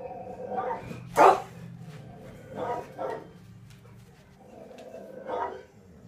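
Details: Pet dogs Tazz and Venus react to barking coming from the television; a few spaced barks, one loud sharp bark near the start, over a low steady background hum.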